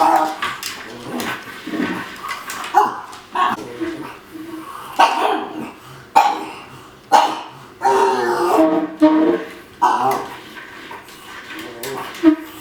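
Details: Indoor pug reacting to a new food bowl meant to slow its eating, giving a run of odd grumbling, whining noises in quick bursts, some drawn out and wavering, with faint music underneath.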